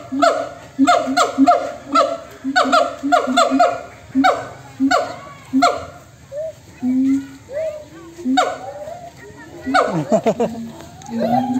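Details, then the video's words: Rowdy monkeys calling to one another: an opening burst of rapid, stacked falling calls, then scattered shorter notes and low drawn-out tones, ending with steep descending sweeps and a final low call. "suara monyet yang saling bersahutan"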